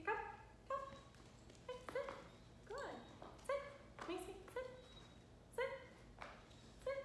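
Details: Seven-month-old female Rottweiler puppy during a training session; high, harmonic whines and short yelps repeated roughly every half second to second, some sliding up and down, over a low steady hum.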